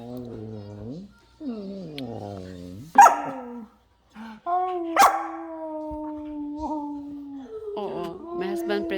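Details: A nine-month-old German Shepherd howls excitedly at a man's return home, long wavering tones falling and rising in pitch between short pauses, with a woman talking and music in the background.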